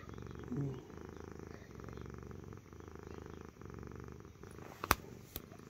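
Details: Domestic cat purring loudly, likened to an engine ticking over: a steady low rumbling pulse broken by brief breathing pauses, with a couple of sharp clicks near the end.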